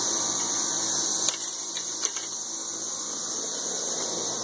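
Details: Thirteen-year cicadas calling in Nashville, Tennessee, form a constant high droning wash, broken briefly by a few sharp clicks and knocks close by.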